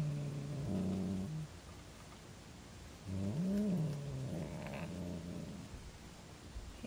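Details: Female pet cat growling at her brother, another cat, after long peace: low rumbling growls in two bouts, the second with a rising wavering whine, under a steady background hum.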